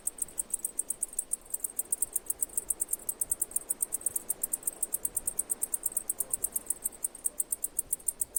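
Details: High, crisp cicada chirps pulsing quickly and evenly at roughly six per second, continuous across the whole stretch with a soft background hiss.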